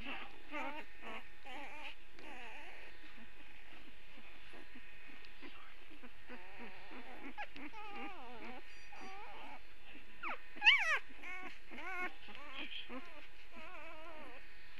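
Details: Puppies early on a Saturday, many high whining whimpers with wavering harmonic pitch, overlapping in a busy chorus, one sharper yelp near the eleventh second, steady low hum underneath.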